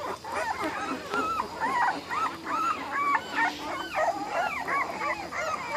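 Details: American Bully puppies from an ABKC champion bloodline make a steady chorus of high, arching whimpers and squeals that overlap in quick, uneven succession, with a faint room hum behind them.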